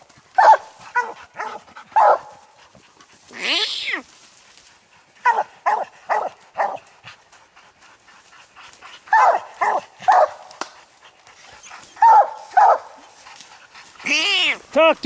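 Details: Three hunting coon dogs, old Lucky, aging Mossie and year-old Star, baying at a treed raccoon that would not show its eyes. Bursts of choppy barks separated by pauses, with a rising howl near the start and end.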